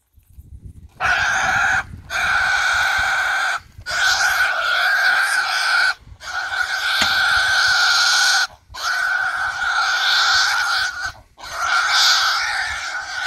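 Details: A wild boar, speared from above during a hunt, gives long, shrill distress squeals in bouts of two to three seconds.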